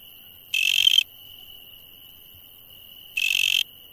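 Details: Night insects: a thin, constant high tone under two loud, raspy buzz bursts of about half a second each, separated by a long pause of over two seconds.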